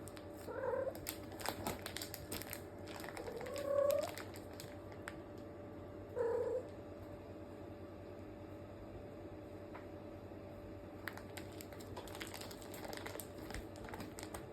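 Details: Indoors in a multi-cat home of rescued cats, where an eldest male cat minds kittens, three short, soft mews sound a few seconds apart over a steady low hum.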